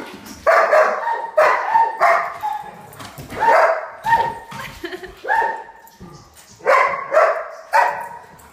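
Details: Pet German Shepherds barking at a cup of water because they hate water: loud, harsh barks with whiny tonal overtones, about eight bursts in quick succession, some doubled, in a small indoor room.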